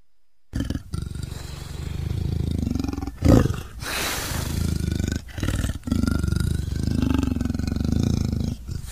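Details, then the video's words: A leopard gives a deep, rough rumble that holds low and steady for several seconds, broken by short pauses and one louder rasping burst. "Leopard Sounds"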